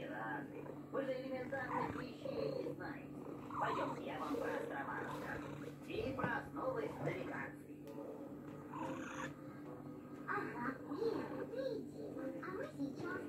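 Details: Samur, a purebred male Maine Coon, purrs while being hand-fed by his owner, a reward he answers with his 'songs'. A steady low rumbling purr runs through the whole clip beneath a woman's continuous Russian speech indoors.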